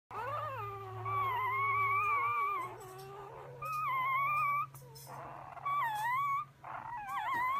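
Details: English Springer Spaniel puppies whine in high, wavering, overlapping cries on their first visit to a veterinary hospital in Frederick County, Maryland, with a steady low hum behind.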